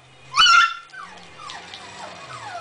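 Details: Shiba Inu dog indoors, whining because it wants to be in the living room with its owners: one loud, high, tonal cry lasting about a third of a second, then fainter falling whimpers.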